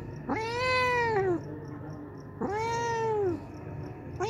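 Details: Hungry homeless cat that comes daily to drink milk, meowing: two long arched meows with rich harmonics, rising then falling, and a third starting at the end; steady low hum beneath.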